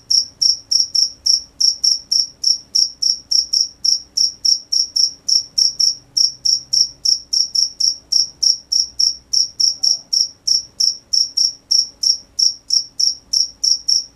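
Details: Crickets at night giving loud, steady high-pitched chirps, roughly three per second, each a short bright pulse, with a faint low hum underneath and no other animals.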